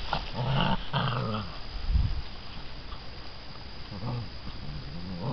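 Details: Growling from six-week-old American Bandog Mastiff puppies pulling a chicken on a string in a prey drive and tenacity test; two strong rumbling growls open the clip, then softer growls follow amid scuffling.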